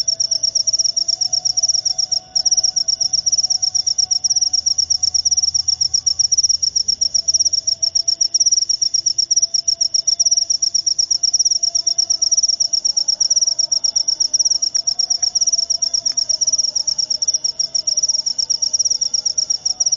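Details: Jangkrik upo cricket producing a continuous, very high, shrill trill of fast pulses that runs unbroken for twenty seconds. A faint low hum sits beneath it.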